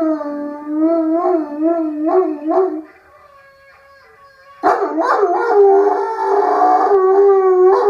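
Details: Irish Wolfhound giving a lazy howl: a sustained harmonic howl wavering up and down in pitch for about three seconds, a pause, then a louder, rougher howl rising and holding steady.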